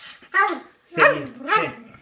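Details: Two pet dogs, Peggy and Iris, begging for food indoors; three loud, harmonic bark-whines, the last ones sliding up and down in pitch, about half a second apart, with a person saying "baby" nearby.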